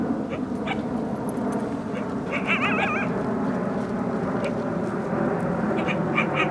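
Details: Wild coyotes near their den, two of a pack of five or six, howling and yipping at people to lure them away; a brief wavering, quavering high howl mid-clip, with scattered short yips, over loud steady wind-like rumble and handling noise.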